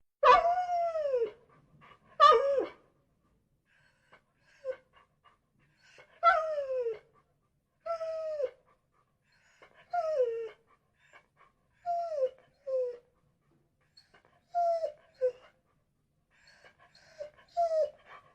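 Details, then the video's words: Dog whining indoors, breathing between calls: drawn-out falling whimpers with bright overtones, some rising then dropping, coming in short bursts every two to three seconds with quiet gaps between. "DOGS NOISE SOUNDS BREATHING WHINING"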